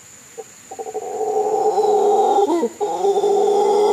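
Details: A howler monkey, met on forest trails near a bridge at Místico, gives a loud, sustained, droning roar that starts with a few short grunts.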